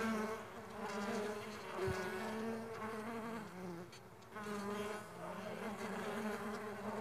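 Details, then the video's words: Stingless bees at a bee farm make a steady, low droning buzz from many wings, the hum wavering in pitch as individual insects pass close. "Stingless Bee Farming Sound Nature - Relaxing Music With Nature Sounds of Stingless Bee and Buzz."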